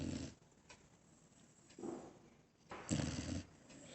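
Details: A soundly sleeping dog snoring softly: faint, breathy, low snorts coming roughly every second or so, the last one louder and longer, over a quiet hiss.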